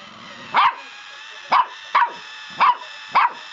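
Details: A puppy barks at a pedicure roller, giving five short, sharp, high-pitched yaps at irregular intervals of roughly half a second to one second, with a steady background hiss.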